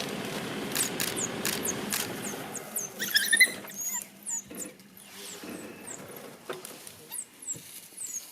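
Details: High, hooked chirps repeat several times a second from a pack of wild African dogs at play around a safari vehicle, one sniffing the tire; the calls come in uneven bouts over soft rustling and faint low hum.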